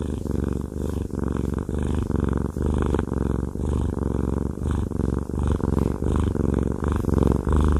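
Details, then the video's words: Haku the fluffy cat purring loudly under a massage; a dense low-pitched vibrating rumble rising and falling with each breath, intimate close recording indoors. "Haku Fluffy Cat has a Massage/ ASMR"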